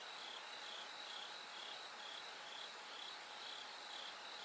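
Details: From night into brightening dawn, a bell cricket sings a high silvery pulsed trill, bursts steady at about two per second, over a continuous hissing background with a low steady hum.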